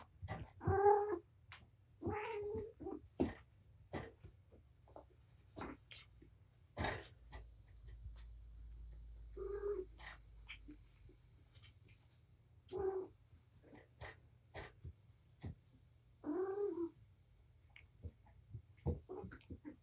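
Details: Patience, a mother cat at Purrfect Pals, romps with her litter of five kittens in a small room. Brief meows and trills rise out of steady bumping and scrabbling, spaced several seconds apart across the stretch.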